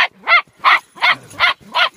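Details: Dog barking during play within a household pack of Max the Boxer, Nanuk the Alaskan Malamute and Yuki; five sharp, mid-pitched barks in a steady run, one about every third of a second.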